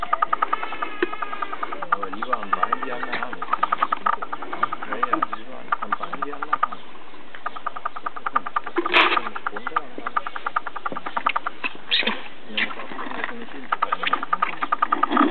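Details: Black-tailed prairie dog in rut during mating season at Blavand Minizoo, in a bad mood: rapid, harmonic chattering calls repeated in quick pulses, with people talking nearby.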